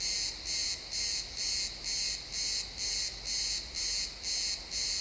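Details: Crickets chirping in a pine forest at sunset, captured as an XY stereo field recording: a bright, high-pitched pulsing trill, about two bursts per second, steady and even, over a faint low rumble.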